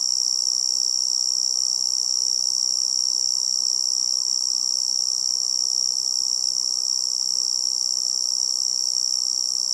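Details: An unbroken high, thin ringing trill from a tree cricket in forest surroundings, steady in pitch and loudness from start to finish, with gentle low background rustle.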